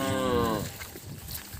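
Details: Cattle calves separated from their mothers, crying; a harmonic moo fades out in the first half-second, followed by quiet rural background noise.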